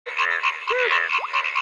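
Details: Frog. Several frogs call at once, forming a dense, pulsing chorus of rapid trilled notes. A few brief rising and arching tones sound through the steady wall of calls.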